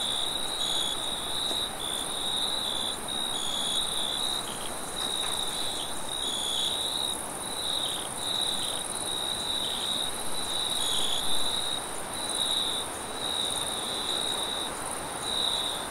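Crickets chirp steadily at night, a continuous high trilling chorus with a fainter, higher band above.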